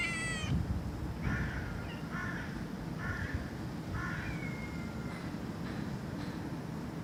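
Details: Cat meows, one sharp high cry followed by a string of short, clipped, rasping calls at roughly one-second intervals, set against a loud low rumble.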